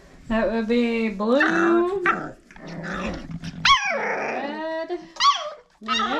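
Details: Old Family Red Nose Pit Bull puppies at five weeks old, from the litter of Abby and Ragnar, give a string of high, tonal whimpers and yelps that rise and fall, some drawn out, with a person talking over them.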